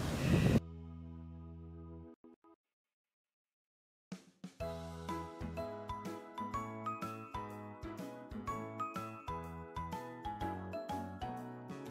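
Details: A short burst of sound, then near silence, then a bright chiming, music-box-like melody with ringing notes, and no animal voice.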